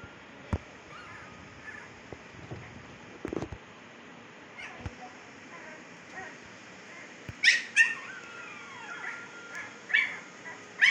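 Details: Fifteen-day-old Siberian Husky puppies in Pakistan, eyes newly opened, let out a few thin, high squeals and whimpers in a cluster near the end, over a steady low hum with scattered clicks and knocks.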